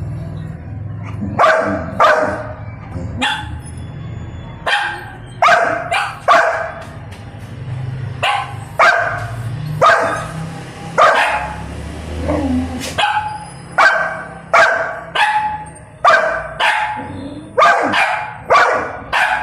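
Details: Young Golden Retriever, a pet, barking in protest at not being allowed to eat; sharp repeated barks roughly every second, some with whiny rising tails, over a low steady background hum.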